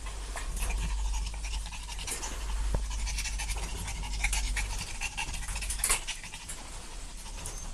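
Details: Several puppies at play, irregular breathy panting and scrabbling noises over a constant low rumble, one brief sharp click partway through.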